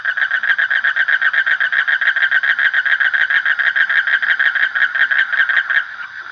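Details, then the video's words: Frog producing a continuous, even stream of rapid throaty pulses at steady loudness, easing off slightly in the last second. "Suara Kodok / Frog Sound"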